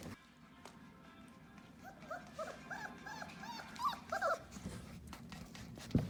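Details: Four-week-old puppies indoors give a run of short, high, arched whimpering yelps, about two or three per second, growing louder toward the end; a steady low hum runs underneath.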